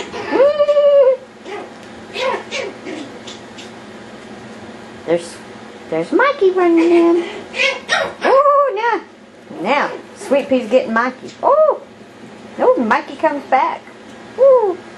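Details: Yorkshire Terrier puppies playing wildly indoors, giving a run of short, high yips and arched, whining squeals in bursts, some rising then falling, with brief pauses between flurries.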